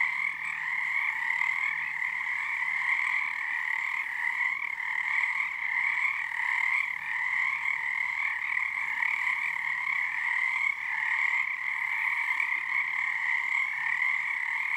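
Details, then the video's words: Nighttime frog choir on Harstine Island, Washington, in February 2021, first full moon of their season, with numbers rising nightly; continuous droning trills layered in two pitches showing dual resonance, level swelling slightly and never falling silent. "Frog chorus at Frog Korner."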